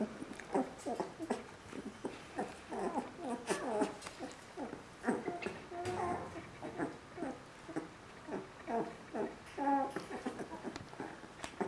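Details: A litter of Border Collie puppies, three weeks old, yelping and whimpering almost without pause: short, nasal, harmonic squeaks in quick irregular bursts, several pups calling over one another.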